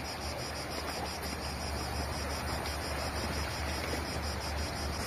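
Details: Cicadas singing by the sea on a Greek island beach: a steady, high, shimmering buzz with a pulsing texture runs without a break, laid over a constant wash of ocean waves and wind.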